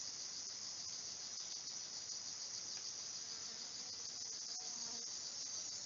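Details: Crickets and other insects in a rainforest piece rebuilt from documentary field recordings: a dense, continuous high shrill insect chorus with steady hiss and faint scattered clicks.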